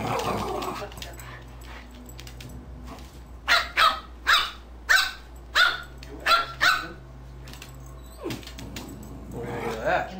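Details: Two dogs playing together: a run of six or seven sharp, evenly spaced barks in the middle, with low growls and scuffling before and after, over a steady low hum and faint talk in the background.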